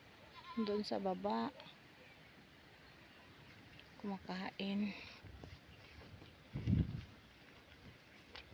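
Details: Backyard goats checked by their owner down by the river under a blazing sun; two wavering, tremulous bleats about a second long each, a few seconds apart, with a man talking nearby and a brief rustle afterwards.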